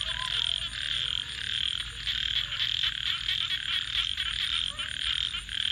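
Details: Night-time frog chorus near a campfire, a steady shrill buzzing mass of overlapping trills with rapid pulsing, and soft low murmurs drifting beneath it.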